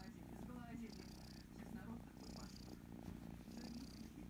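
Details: Kitten, female, loudly purring while enjoying being stroked and scratched behind the ear: a steady low rumbling purr runs throughout with soft rhythmic breathy pulses, while a woman talks quietly over it.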